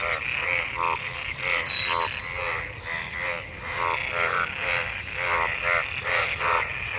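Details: Frogs mating in pooled water after monsoon rain, a crowd of them calling together: rattling, pulsed croaks in steady overlapping bursts about every half second, with a faint high whistle briefly above.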